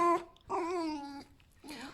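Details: Sleepy tame male fox in a small room being woken for breakfast gives a brief bright whine, then a longer steady nasal whine, then a rougher, wavering one.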